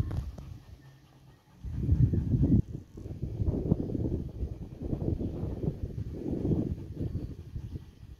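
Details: Labrador Nix, husky/shepherd mix Lola and dachshund Happy tussling; after a quiet start, a sudden loud burst of deep growls and snorting breaths continues in rough, irregular pulses.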